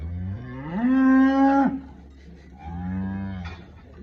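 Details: Red Friesian cross cow in Pak Pattan, in milk after her first calving and giving 20 to 22 litres, with her calf behind her; one loud moo rising then held for a second, followed by a softer, shorter moo.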